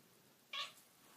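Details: House cat talking to its owners: a lone clipped meow, sharp and high-pitched, lasting a fraction of a second in an otherwise quiet room.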